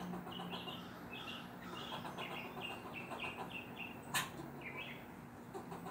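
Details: A neighborhood squirrel barks at a black adopted stray cat. Its short, sharp, chirpy barks repeat in a steady run about every half second, with a brief gap. A sharp click sounds near the end over a low steady hum.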